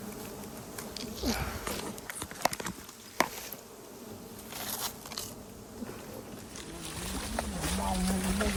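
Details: Wild bees near hives discovered during a honey hunt through mangrove and Khmer forest; a continuous low buzz persists throughout, with scattered clicks and cracks, and a wavering hum swelling toward the end.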